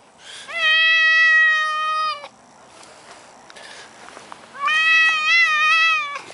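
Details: Maine Coon cat giving two long meows separated by a quiet gap of faint background noise; the first is steady and level, the second wavers up and down in pitch.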